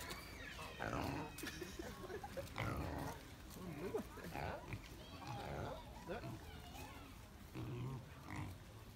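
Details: Wild pigs on a farm: a chorus of rough grunts and squealing oinks, irregular and overlapping, with human voices mixed in.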